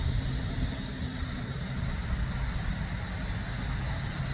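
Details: Cicadas in summer in the south suburbs of Chicago hold a steady, high, hissing drone, with low traffic rumble underneath.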